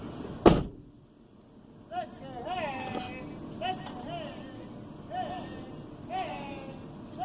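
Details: Louie Ray, a 16-year-old capuchin monkey new to farm life for under seven months, yells in warning at big cows: a loud slam, then a series of high, wavering chirped yells about once a second, with laughter and talk nearby.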